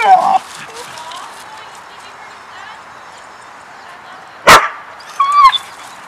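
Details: Pet dog that comes out to play and vocalizes as if saying he loves her: a short, wavering whine at the start, a sudden loud burst later, then a rising, sing-song whining call to finish, with quiet room noise between.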